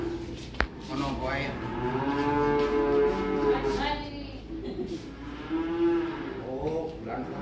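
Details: Calves being unloaded from a truck: overlapping drawn-out moos with rich harmonics, one long bellow lasting about three seconds, then a shorter call near the end, with a sharp knock and background rumble.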